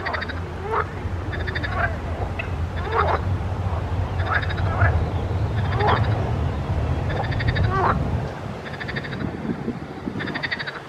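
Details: Frogs croaking in a pond: buzzy, pulsed bursts about every second alternate with short upward-sliding quacking notes over a steady low hum, forming a dense, continuous chorus.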